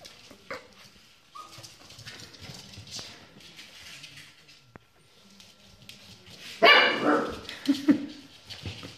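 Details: Scottish Terrier giving one loud, harsh bark near the end, after several seconds of quiet, scattered indoor noises and faint clicks.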